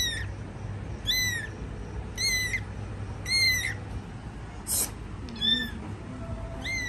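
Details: Kittens under their mother's care repeat shrill, arching mews roughly once a second, each a short rise and fall, with one brief scratchy noise midway and a low hum beneath.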